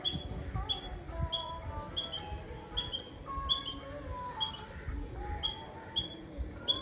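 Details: Squirrel in Nazareth, Tamil Nadu, India, giving sharp, high chirps, each a brief bright note repeated roughly every half second to second. Fainter whistled bird notes and a low rumble sit in the background.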